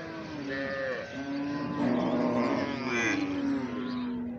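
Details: Calf giving a long, strained moo that holds a fairly steady low pitch for several seconds, with a brief higher note at the start and light background noise.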